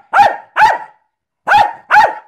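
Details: Four sharp barks from a Jack Russell terrier doing tricks on command: two in fast succession, a pause of nearly a second, then two more. A trainer then praises it and calls it back.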